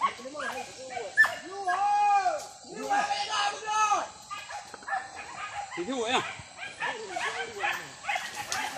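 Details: Several village dogs hunting wild boar in a traditional dog-and-spear hunt: excited high yelps and repeated barks overlapping in a noisy chorus, with people talking in the background.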